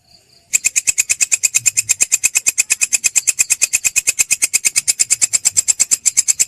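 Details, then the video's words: Belalang kecek grasshopper in a songbird-training recording: after a brief silent start, a steady run of rapid, sharp, high-pitched clicking pulses, about eight each second, continues without a break. "masteran belalang kecek"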